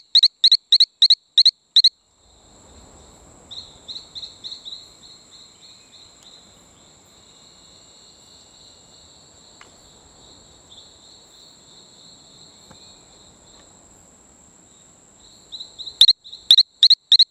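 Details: Allobates talamancae near Playa Bluff on Isla Colon, Bocas del Toro, Panama, giving bursts of crisp doubled chirps at start and end, separated by a long stretch of steady high-pitched insect hum and softer distant chirping.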